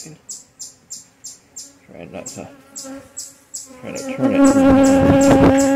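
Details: Honey bees at a relocated hive during a cool-morning inspection, clustering thick: a steady low droning buzz swells up over the last two seconds, after a run of rhythmic high ticking chirps repeated about three times a second.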